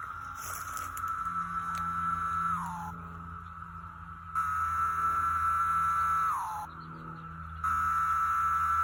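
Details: Periodical cicadas, likely over 10,000, emerging for the first time in 17 years in May 2021 at Stephens City, Virginia, chorus up close and into the distance: a dense, steady droning buzz for seconds, then slurs down in pitch.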